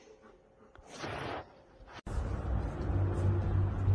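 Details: Muffled indoor noise with a brief rushing swoosh, then an abrupt cut into a low rumbling background.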